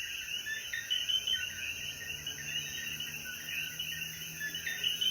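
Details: Coquíes calling in the mountains of Jayuya, Puerto Rico, at sunset after the rain; a dense, continuous chorus of overlapping chirping notes, with a steady high hissing band of insects above.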